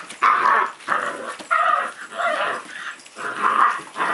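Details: Playful puppy growling during play, a run of rough, noisy, broadband growl bursts rising and falling roughly every half second to second, with no other clear sounds.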